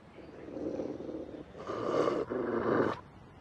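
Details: Stray pitbull and rottweiler fighting over a female for dominance; a low, rough growl rises and swells in two surges, then cuts off after about three seconds.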